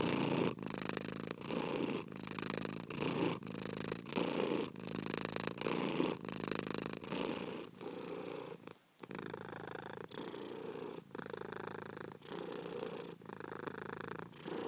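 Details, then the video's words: A cat purrs steadily, a rough, buzzing drone pulsing with each breath about every three quarters of a second, one short break midway before the rhythm returns. "PURRING CAT"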